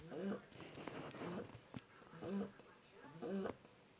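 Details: One-month-old Shar Pei puppy snoring indoors: soft rhythmic snorts, one breath about every second, each a short nasal rasp with a faint low buzz, steady and gentle.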